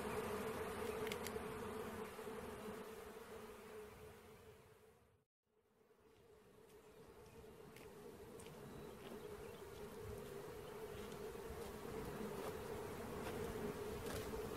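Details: Swarm of bees during capture, a dense continuous drone at a steady mid pitch that cuts out briefly about a third of the way in, then swells back to full strength with faint outdoor noise.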